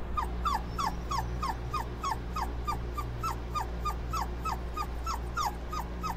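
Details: Continuous short, falling whimpers from Dobermann puppies being cooled off, repeated roughly three times a second against steady low-pitched machine hum.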